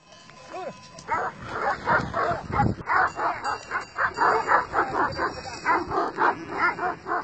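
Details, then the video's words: Kangal and other shepherd dogs from two sheep flocks challenging each other face to face, barking in a rapid rhythmic series of loud harsh barks roughly four per second after a brief opening call, with a man's voice now and then. "Köpek sürüsü Kangallar ve çoban köpekleri karşı karşıya"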